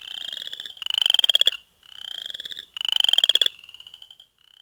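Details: Frog calling in spring in Ottawa County, Michigan: high, rapidly pulsed trills, each about a second long, slightly rising in pitch, repeated with short silent gaps.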